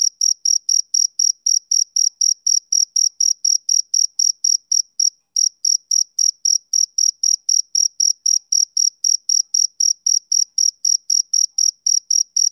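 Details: Rhythmic high chirps from a male cricket on a summer evening, about four a second, with one brief pause near the middle before the steady pulsing resumes; no background noise.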